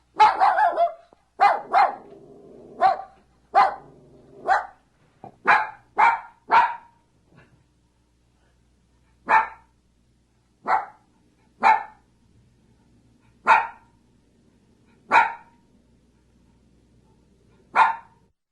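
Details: Dog barking, a rapid flurry of harsh barks at first, then single barks spaced every one to two seconds, with faint low hum between them.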